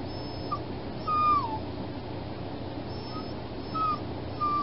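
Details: Recently spayed puppy in foster care whining through the night: thin high whimpers, one drawn out and sliding downward, then several shorter ones, over steady low room hum.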